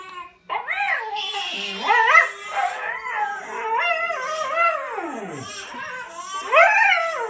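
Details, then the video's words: Pointer dog crying in response to a baby crying: a series of wavering, howl-like wails whose pitch slides up and down, including one long falling glide, with short breaks between cries. "Pointer cries to sound of baby crying"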